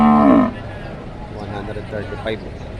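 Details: Cattle at a livestock market in Padre Garcia, Batangas, Philippines, cows and heifers for sale, January 3, 2025: a short half-second moo, bending downward at the end, followed by market chatter and background voices.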